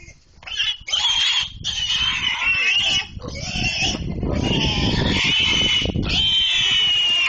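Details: Pig being chased and caught, giving loud, harsh, high squeals in strained bursts with brief gaps, over continuous music.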